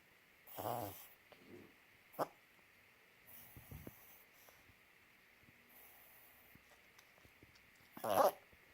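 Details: A dog named Uno making weird noises indoors: a few short, rough, breathy snorting bursts, the loudest at the start and end, separated by long quiet gaps with a faint steady hum in the background.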